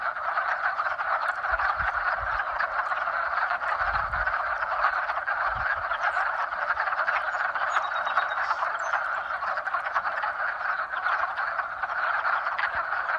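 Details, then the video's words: Frogs in spring giving mating calls as a dense, continuous chorus of overlapping croaks, steady and unbroken, with a few faint low thumps near the start. "Frog Mating Sounds"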